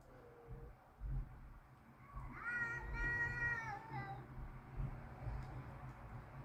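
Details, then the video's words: Angry cats outside in a backyard, ready to fight; one long wavering, baby-like wail swells over two seconds and trails off, over rumbling low background noise. "They are ready to fight. Cats making baby sounds."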